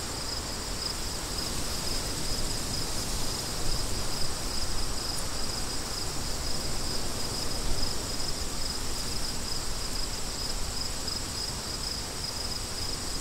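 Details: A high, thin cricket chorus pulses in short, evenly spaced beats over a steady roar of wind, with gusts swelling and fading underneath.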